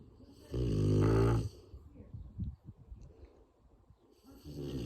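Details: Sleeping Rottweiler snoring: one loud, deep, rough snort lasting about a second, then soft breathing and small rustles before another snore begins near the end.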